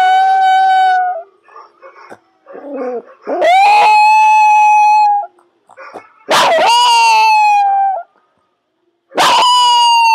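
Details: Yorkshire Terrier trained to howl on command: loud, steady, high howls held for one to two seconds, each starting with a sharp rising onset, repeated several times with short gaps and small yelps between them.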